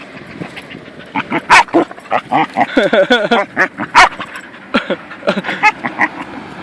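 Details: Belgian Malinois growling at its owner during play, a rough rumbling growl broken into short repeated bursts with a few sharp yelps, mixed with a man speaking.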